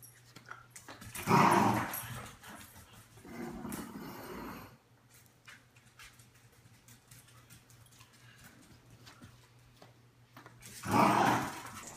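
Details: Corgi in a small room making three rough, noisy growling bursts at roughly 1.5, 4 and 11 seconds. A steady low hum and quiet room noise fill the gaps.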